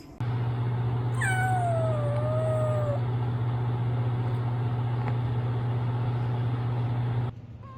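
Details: Female kitten, between 16 weeks and 11 months old, giving one long drawn-out meow that slides downward and then levels off, over a loud steady low droning hum that runs through the whole recording.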